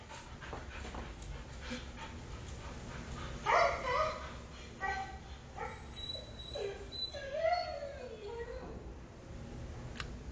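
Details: A pet dog's funny noise: after a pause, short nasal yelps followed by a long wavering whine that bends up and down, with low hum and a man speaking in the background.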